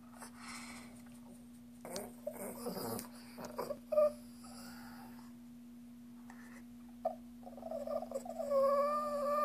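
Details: Shih Tzu; begging whine; begging for treats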